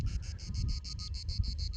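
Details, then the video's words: A cicada in a tall broom bush in oak and pine scrubland, on a summer Sunday while goats graze in the shade, sings a high, buzzy song of quick, even pulses over low wind rumble. "Cómo canta la chicharra."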